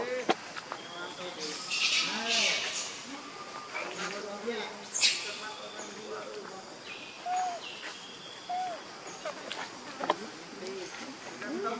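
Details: Baby monkey missing its mother and hungry for milk, crying in short arched, tonal wails that rise and fall, repeated irregularly over a noisy outdoor background with bursts of high hiss.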